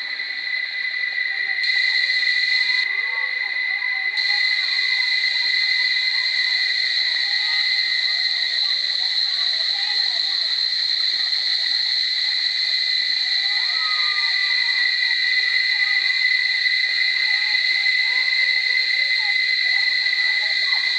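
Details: Cicadas at Barichara, around trees about to burst into flower, hold a loud, unbroken buzzing drone with a bright, ringing metallic tone.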